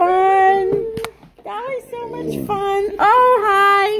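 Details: Two pet dogs, a Malamute and a Blue Bay Shepherd, howl together in a small room; sustained, steady tonal notes with slight upward swoops, broken by a brief gap and a click.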